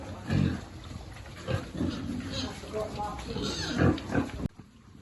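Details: Pigs at feeding time on a farm, piglets among them, giving short low grunts and a few higher squeaky notes, ending abruptly.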